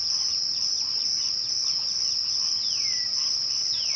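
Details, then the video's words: Crickets at twilight: an unbroken, steady, high-pitched shrill trill fills the whole clip, with faint repeated chirps beneath and two clear falling whistles near the end. "twilight crickets"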